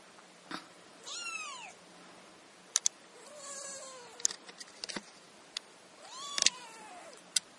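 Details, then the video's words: A chorus of kittens: repeated high mewing, some calls short and falling, others drawn out and arching, over faint rustling and sharp clicking sounds. "Kittens chorus"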